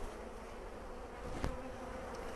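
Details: Western honey bee colony in a Flow Hive being inspected: a steady, low droning buzz rising in intensity as the bees grow agitated at the disturbance; smoke is used to calm them.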